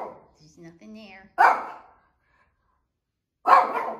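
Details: Female Shih Tzu dog indoors barking at nothing while making her daily bedroom rounds; a woman speaks softly at first, then two sharp, loud single barks sound about two seconds apart.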